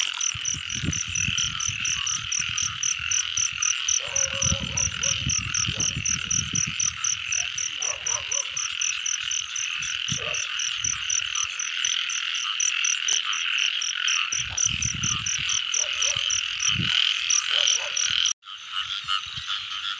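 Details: Frogs in the rain season, a dense steady chorus of high trilling calls with fast pulses throughout, a higher ticking series above, low thumps and rustles underneath, and a sudden break near the end.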